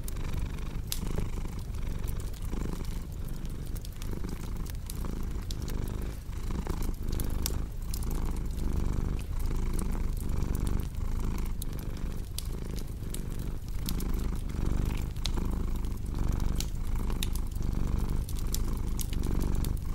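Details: Domestic cat purring steadily, a deep low rumble pulsing in breath cycles under a second apart, layered with sharp crackles and pops from a fireplace throughout.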